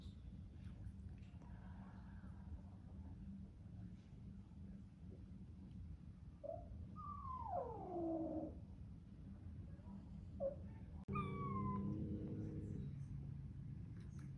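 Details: Bengal kitten, newly added to a home, crying with all its might while standing up to a large hissing resident cat. It gives short faint calls, then a long downward-sliding meow and a later tonal cry over a steady low hum.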